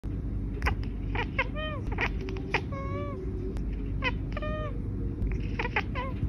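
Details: Pet cat chirping and chittering: quick bursts of short clicking chirps with a few longer falling, warbled notes, scattered through the clip over a steady low household hum, followed by human laughter.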